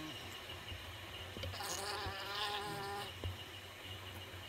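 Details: Honey bees inside their hive make a dense, continuous buzz. A louder humming drone with stacked tones swells and fades in the middle. There are a few soft knocks.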